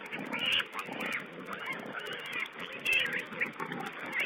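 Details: Wild boar piglets on a wildlife camera, 16 April 2010: short high squeaky squeals, a few thin whistled notes among them, over a muffled, rustling background of lower grunting.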